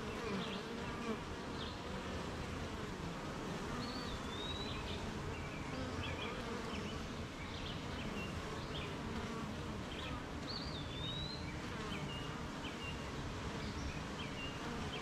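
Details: Rainy-morning honey bee colony at its hive, the bees active making honey: a thick, level buzzing hum runs the whole time, joined by scattered high chirps and a couple of sliding whistled bird notes.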